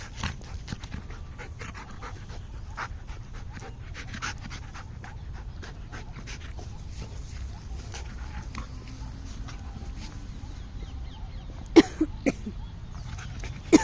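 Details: A Golden Retriever puppy pants steadily, with a few sharp, loud bursts near the end.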